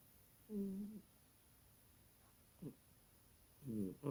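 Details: Little kitty snoring loud in its sleep, a drawn-out buzzing inhale, a brief snort about two seconds later, then another rough, layered snore at the end; quiet indoor background.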